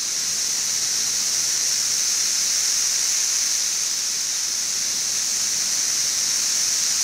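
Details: Massed chorus of 17-year periodical cicadas, brood XIV, in Frankfort, central Kentucky, June 2008, about two weeks after mass emergence in late May; a steady, unbroken high-pitched hiss-like drone holds constant throughout, quieter than at peak.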